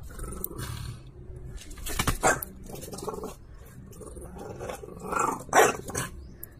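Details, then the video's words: French Bulldog wrestling over a toy in play, low grumbling growls rising into two sharper snarling bursts near the start and end, with thumps and scraping. "เม่บัวขาวอยากให้หยอกเเย่งของ เฟรนบลูด็อก French Bulldog"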